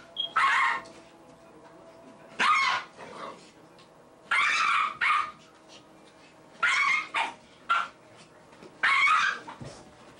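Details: Little dog keeping a Labrador off the couch to show who is boss, barking in bursts of one or two sharp yaps roughly every two seconds, five bursts over ten seconds indoors.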